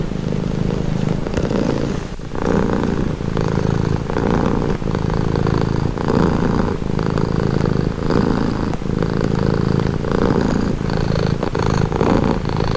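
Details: Domestic cat purring steadily and calmly, a low rumbling purr that swells in pulses roughly every second, each inhale and exhale phase audible, with no other sounds intruding.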